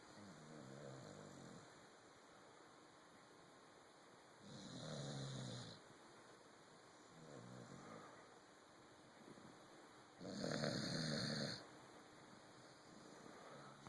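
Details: A pet corgi sleeping on a sofa snores in slow, rasping breaths, each lasting about a second.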